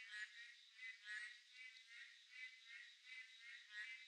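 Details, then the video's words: On a midsummer night, Boreal digging frogs call in a dense chorus of nasal, bleating notes that overlap continuously. "한여름밤의 맹꽁이소리 (ASMR)"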